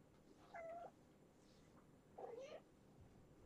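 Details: Domestic kittens at bedtime after a vet day, sleeping off their shots, in Washington at Purrfect Pals; two short, quiet mewing calls about 1.6 seconds apart over a low indoor hum.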